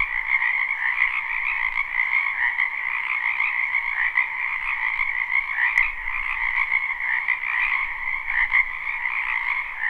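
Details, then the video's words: Live recording of a spring frog chorus in a backyard wetland: countless overlapping croaks merge into a steady high buzzing trill with a lower undertone, rising and falling slightly, one brief click midway. "Ambient Noise for Sleep Frogs Black Screen"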